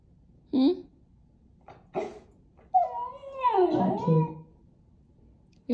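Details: Axel, a young Siberian Husky puppy in the Pacific Northwest, talks back to his owner indoors: a short yelp, then a long warbling, rising and falling howl-like moan with many harmonics, between a person's coaxing words.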